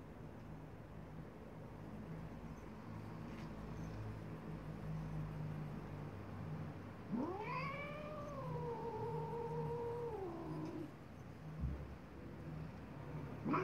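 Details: Angry domestic cat, a female, giving one long drawn-out yowl lasting about four seconds, rising then holding steady before falling, with strong harmonics, over low background hum; a second cry starts at the very end.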